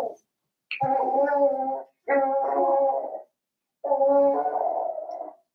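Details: Seven-week-old Cavalier King Charles Spaniel puppies in an indoor home puppy pen, giving three drawn-out, tonal, howling whines, each about a second long, separated by short silences.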